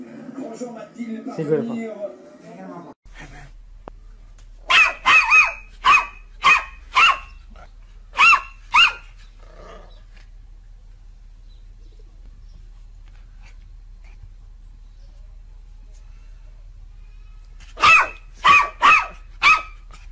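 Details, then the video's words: Dog barking in short, sharp bursts, first a quick run of about six barks, then a long quiet stretch before another tight cluster of four barks near the end; a brief muffled, voice-like sound opens the recording. "Most funny dog barking videos compilation"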